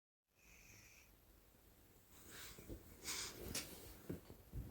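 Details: Sleeping dog snoring at night, filmed 12 June 2011: quiet, raspy, wheezy breaths rise into harsher snorting bursts in the second half, with a faint steady high tone near the start.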